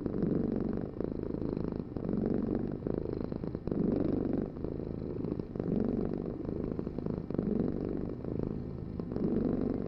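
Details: Deep rhythmic purring from a domestic cat, each breath bringing a fuller rumbling swell roughly every second and a half, steady and uninterrupted.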